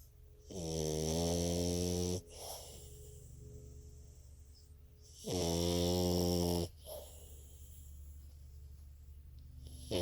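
A French Bulldog snores loudly, each rattling breath lasting about two seconds.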